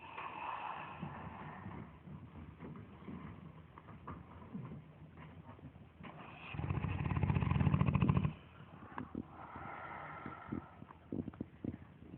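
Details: Two Dogue de Bordeaux, Lilly May and Eric, sleeping and snoring loudly; soft breathing noises build to a single heavy, vibrating snore lasting nearly two seconds, then ease back to quiet breaths.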